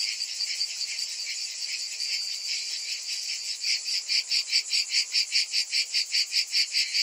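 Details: Summer chorus of cicadas: a continuous shrill drone for the first few seconds, then breaking into sharp, regular throbbing pulses roughly two per second, high-pitched and hissing throughout.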